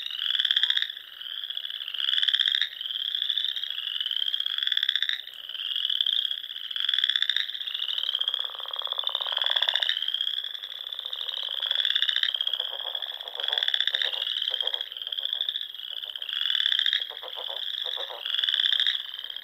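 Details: Spring frog chorus from the Nebraska Sandhills, where waterfowl gather at dusk on small ponds; dense, high trilling notes rise in repeated surges roughly every two seconds, layered over softer rattling croaks from nearby callers.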